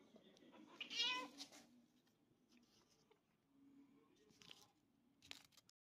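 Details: A 2-year-old Bengal cat gives a single bright, rising-and-falling meow in a quiet room.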